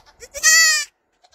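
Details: Young goat cuddled and kissed by a person gives a single short, bright, steady bleat of about half a second, preceded by faint kissing sounds.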